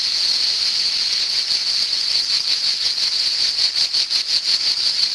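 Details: Cicada singing in summer, a continuous shrill buzzing drone with a fast pulsing rhythm, roughly three throbs per second, steady throughout.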